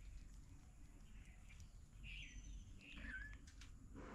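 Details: Kittens meowing near their mother cat, a family of three kittens found in a house storeroom; two faint, short, high mews, one sliding downward, over a low rumbling background with soft bird chirps.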